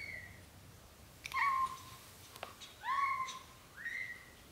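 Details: British Shorthair cat, the mother named Samel, carrying newborn kittens into a small nest because she dislikes a large bed; three short meow-like calls with slight rising and falling pitch, spaced over about four seconds.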